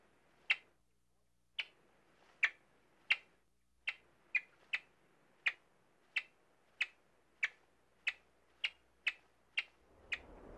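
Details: Three-week-old yellow-bellied marmots in their nest in the Rocky Mountains, eyes almost open, test their voices with sharp, high chirps, about sixteen in ten seconds at a fairly even pace, over a quiet background.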